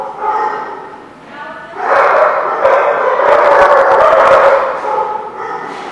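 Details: Many dogs bark at once in an echoing room, starting with a few harmonic barks, then a loud dense chorus of overlapping barks and yips building through the middle.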